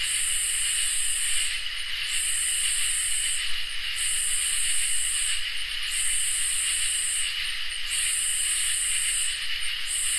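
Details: Crickets and katydids in a summer night chorus: a steady high, shrill trill holds beneath loud buzzy, hissing katydid bursts, each about a second and a half long, repeating roughly every two seconds, with about five bursts heard.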